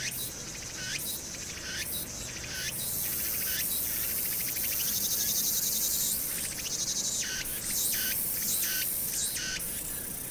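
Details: Cicadas on Hwangnyeongsan, South Korea, on a summer night (1 August 2019), fill the air with a dense, high, sizzling buzz that swells in pulsing bursts, with city noise in the background.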